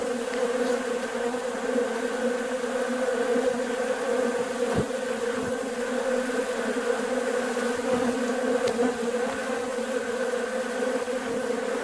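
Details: Swarm of honey bees busy at a bucket feeder of sugar water in warm weather; constant humming drone with steady bands, broken by a few sharp clicks and taps.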